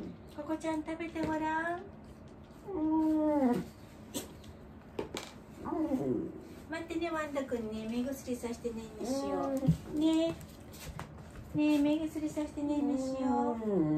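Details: Aged dog Wanta, cared for by Kumiko Oba, groans and cries while awake during a morning routine, restless and flailing its legs: a long series of drawn-out, rising-and-falling harmonic moans, some sharp clicks between them, indoors.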